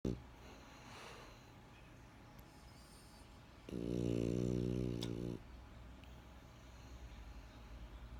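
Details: Benjamin, a pet French Bulldog, snoring indoors: one buzzy, harmonic snore lasting under two seconds in the middle, framed by quiet room hum and soft breathing.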